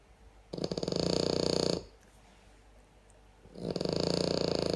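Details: French Bulldog snoring: two long, raspy, rattling breaths, each over a second long, separated by a quieter pause of about two seconds.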